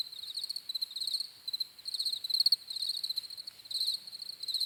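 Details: Cricket chorus with high, pulsed chirping in uneven bursts about half a second to a second long, slightly quieter, with overlapping insects and faint background hiss.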